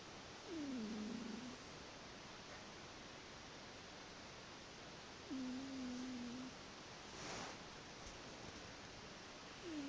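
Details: Sleeping house cat producing soft, whistly snores that dip in pitch and then level off, repeated about every five seconds and partly masked by steady background hiss.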